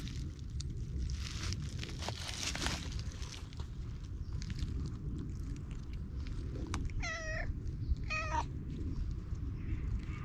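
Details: Stray cat gives two short meows about a second apart, each a clear harmonic stack rising then falling, after a stretch of rustling, crunching footsteps and steady low outdoor rumble.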